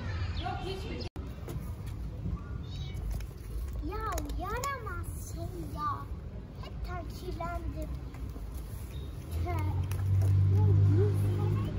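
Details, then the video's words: Tiny homeless kittens living on an Istanbul street, fed daily by a local, mewing as if not wanting the visitor to go; short arched high mews in scattered bursts from several kittens over steady low urban traffic rumble. "Tiny kittens living on the street don't want me to go"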